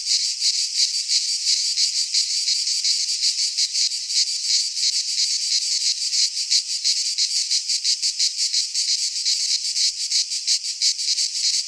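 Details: Cicadas sing in a Greek pine forest at midsummer, their shrill electric buzz beating in very regular fast pulses, about three per second, sustained without pause.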